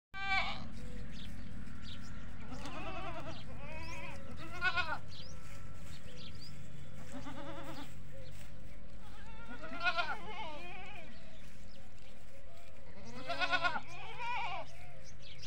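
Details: Desi goats and kids at a goat farm, bleating in harmonic, wavering calls spaced a few seconds apart, several animals overlapping, with a steady low hum underneath.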